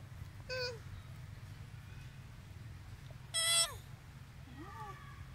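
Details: Baby monkey Sweetpea, unhappy as its mother Popeye refuses it milk, among street monkeys of Angkor Wat and Angkor Thom, Siem Reap, Cambodia: two loud, shrill, harmonic cries bending downward at about half a second and three and a half seconds, then a fainter squeak over low steady hum.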